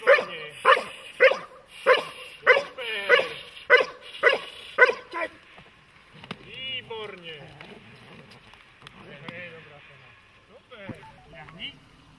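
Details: German Shepherd or Malinois type dog in protection training gives a fast, even run of about nine harsh barks, then falls quiet while speech and handling noises follow.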